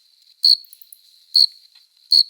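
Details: Adult male cricket singing at night in summer, rubbing its forewings to court a female; three loud, shrill chirps roughly every 0.8 seconds over a continuous high-pitched hum.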